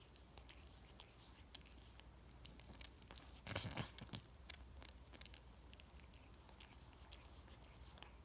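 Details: Domestic cat grooming itself indoors, loud wet licking and clicking tongue sounds repeated rapidly throughout, with a brief louder rustling burst midway.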